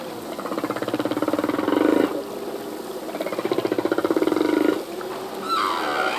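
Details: Singing male humpback whale, whose phrases are learned anew each year: rapid buzzy pulsed trains lasting about two seconds each, repeated twice, ending in a short high whistled squeak.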